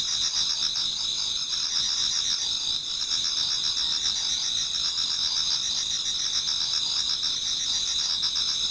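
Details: Many autumn insects singing in a Japanese garden towards dawn: a dense, continuous high-pitched chorus of trills and chirps, steady bands of shrill buzzing with a faint pulsing underneath, no other clear sounds.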